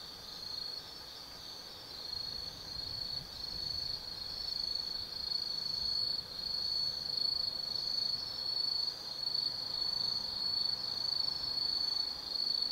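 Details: Autumn night insect chorus in the forest of Tsukimi no Mori, Kaizu, Gifu, Japan: a loud, continuous, very high trill with short repeated chirps woven in, growing louder after the first few seconds, with little other sound.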